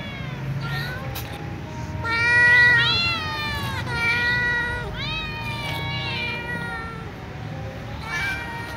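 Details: Ginger cat and young white cat meowing loudly while asking to be fed alongside other cats; a run of clear, tonal meows that bend upward then fall, closely spaced, over a steady low background hum.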